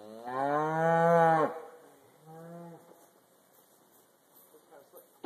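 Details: Black Angus cows, mostly used to the routine, being loaded onto a trailer at a leased property; a strong, steady moo over a second long, then a shorter softer one, with light clanking afterward.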